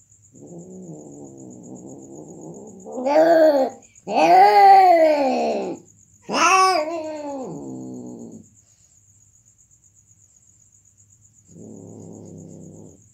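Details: Cats mating: a low moaning growl swells into three loud, wailing yowls that bend up and down in pitch, then sinks back to a quieter growl, with a steady high insect whine running throughout.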